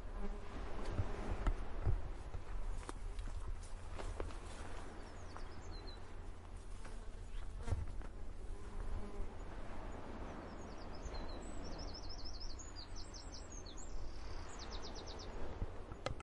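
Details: Bees pollinating flowers buzz steadily with a low, droning hum over a soft, distant wash of sea.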